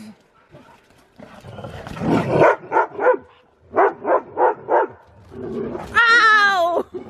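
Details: During snowy zoomies a Siberian Husky flips out while playing with another dog: a run of five rhythmic barks, then a drawn-out, wavering, higher-pitched vocal at the end. Scuffling noise fills the pauses.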